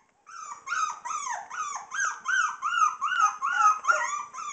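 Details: Bulldogge puppies, Tikka/Gatlin litter aged 4.5 weeks, playing indoors; a run of high, whining yelps and whimpers, each arching up then down, following one another rapidly about twice a second with faint growls between.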